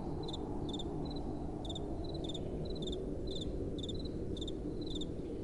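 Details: At night, crickets chirp in short, bright paired pulses about twice each second, overlapping irregularly, while a soft wind keeps up a continuous low rushing background.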